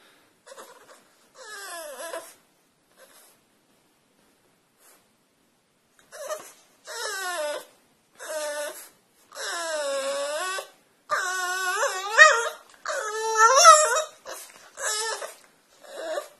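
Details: A French Bulldog whining while trying to get onto a couch, with repeated nasal, wavering whimpers and squeals, short and sparse at first, then longer and louder cries near the end.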